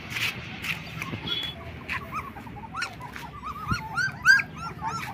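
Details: Black German Shepherd puppies, 20 days old, whimpering in high arched squeaks that grow busier toward the end, over a faint background hum.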